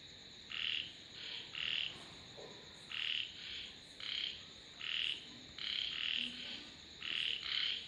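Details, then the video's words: Frog calls arriving in uneven short bursts, some single and some in quick pairs, about a dozen harsh croaks over several seconds against a soft steady hiss and high hum. "Sounds of Frogs / தவளைகளின் இசைமழை"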